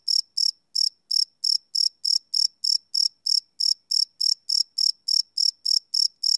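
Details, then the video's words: High trilling cricket chirps after dark, recorded live with a Sony PCM D100; a brief gap near the start, then an even stream of sharp pulses, around twenty in six seconds. "Cricket Chirp Sound - Cricket Sounds at Night"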